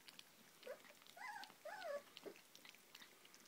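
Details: Hovawart puppies indoors giving a few thin, wavering whines, some rising then falling. Faint background rustling.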